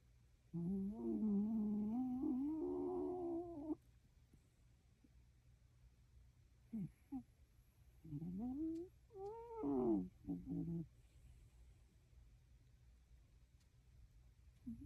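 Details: A Shiba Inu fast asleep makes a long, wavering, voiced breath lasting about three seconds, then quieter gaps broken by short squeaky, rising breath sounds; an indoor room is otherwise quiet.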